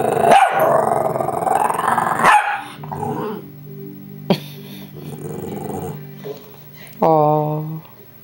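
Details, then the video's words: Shih Tzu, a pet female dog, "talking" back to her owner indoors: drawn-out growly, moaning vocal sounds with wavering tone, a sharp yelp near the end, and the owner's voice nearby. "Talking Trinket the Shih Tzu"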